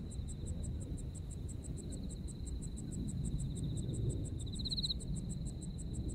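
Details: Autumn insects in Japan, a nostalgic night chorus: a steady pulsed high chirping repeated about five times a second over a continuous high trill that swells briefly near the end, with low rumbling background noise.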